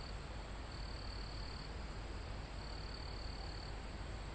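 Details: In a calm forest near a mountain top, crickets give two high trilled bursts, each about a second long, above a steady shrill insect drone and a low wind hiss in the trees, recorded live.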